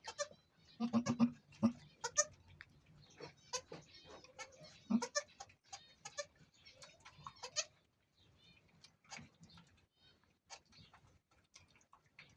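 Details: Goat bleats during the birth of the first of two kids: a tight run of harsh, broken bleats early on, then quieter scattered calls and rustling that fade toward the end.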